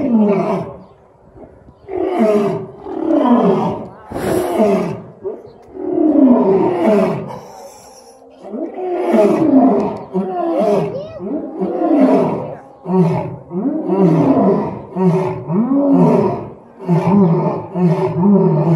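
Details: Two lions roaring together at Franklin Park Zoo: a long series of deep, grunting roar pulses, each rising then falling, repeated roughly every second with overlapping voices, swelling and easing in waves.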